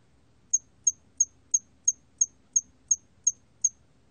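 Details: Hairy cricket (털귀뚜라미) recorded in Korea in 2020: ten short, high, pure chirps in a steady train, about three per second, over a quiet background with faint low hum.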